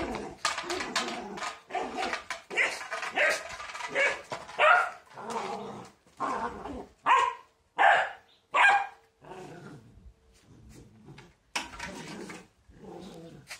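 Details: Border Collie barking while fighting a broom: short harsh barks in irregular bursts, some louder and spaced, with broom scraping and brushing noises between them.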